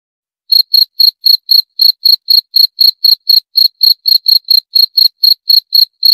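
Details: Cricket, Indonesian jangkrik, giving a long series of short high-pitched chirps, roughly four each second, regular and unbroken after a brief silent start; nothing else audible.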